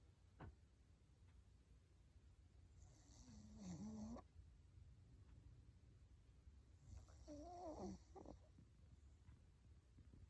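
An English Bulldog snores loudly, with rough, rattling breaths about every four seconds.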